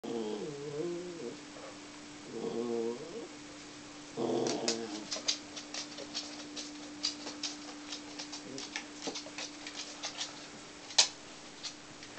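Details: Mac, a six-month-old Border Terrier, indoors; three short bouts of wavering, nasal whines rising and falling, then a steady faint hum with scattered sharp clicks and taps.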